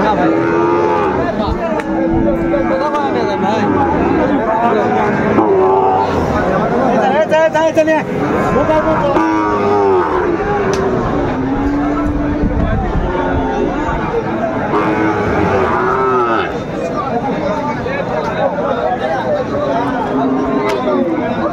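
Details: Sahiwal bull calves at a busy cattle market on 20 February 2025, where a farmer from Dhaka is buying: several overlapping drawn-out moos, some rising and falling, repeated throughout against constant crowd chatter and people's voices.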